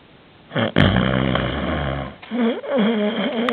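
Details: Canadian Sphynx cat, fast asleep, snoring loudly: a long, harsh, rumbling rasp with a buzzy tone, a brief pause, then a wavering, wobbling snore continuing to the end.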